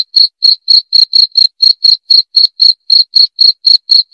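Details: Chirping cricket meant to scare off rats: short, shrill, high notes in a quick steady train of roughly four per second, loud and clean with nothing else audible.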